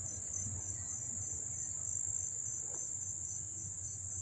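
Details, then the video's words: Cricket chorus recorded up close in Dobbs Ferry, New York, August 1, 2014: sustained shrill high-pitched ringing with a lower pulsing chirp rhythm and a gentle low-frequency rumble behind. "the chirping of the crickets"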